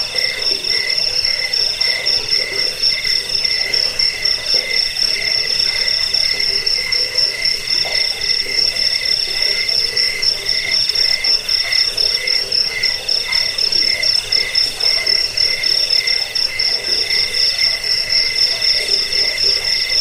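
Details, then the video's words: Crickets played as a sleep aid, rat repellent and tutor for songbirds. Several overlapping high, pulsed chirp trains run without pause, a bright shrill band above a lower buzzing layer, forming a dense continuous chorus. "Suara jangkik pengusir tikus pengantar tidur"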